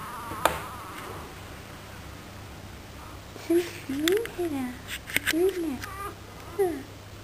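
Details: A weak newborn puppy needing extra care, being bottle-fed milk, gives several short squeaky whines that rise and fall, in a cluster over about three seconds; people talk in the background, with soft rustling.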